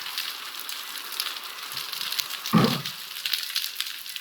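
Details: Underwater recording from Monterey Bay, a very noisy environment: snapping shrimp make countless sharp, dry clicks blending into a constant frying hiss.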